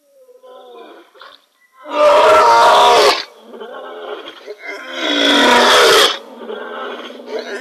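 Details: Male lion roaring into the night at the Kings Camp waterhole: two loud, rough, drawn-out roars of about a second each, with softer moaning grunts leading in and between them.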